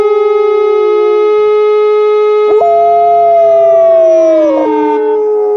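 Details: On a winter walk, Alaskan Malamute Liza joins in as the air raid siren is tested on the first Saturday of the month. A long howl slowly falls in pitch and ends with a short break, sung over the droning siren.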